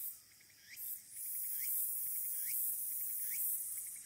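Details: Walker's cicada on Aburayama, Fukuoka City, Japan, 22 August 2022, captured by smartphone at the Aburayama Kannon lookout: short upward-sweeping buzzy notes roughly every second over a steady high hiss of insect noise.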